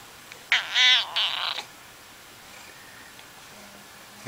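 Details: Domestic cat giving a single short, harsh, nasal meow indoors, then a quiet pause.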